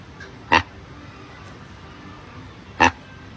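A monkey gives two short, harsh, barking calls about two seconds apart.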